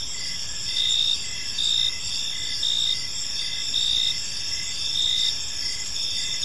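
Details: Crickets in a peaceful evening park produce high, buzzy trills that swell in short bursts almost once per second, steady over a soft distant background rumble.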